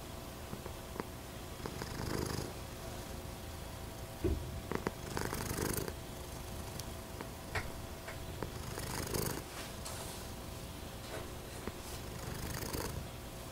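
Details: Rumbling purr from a pet American Shorthair cat, silver patched tabby: soft constant low throb with recurring stronger breathy swells every few seconds and a few faint clicks.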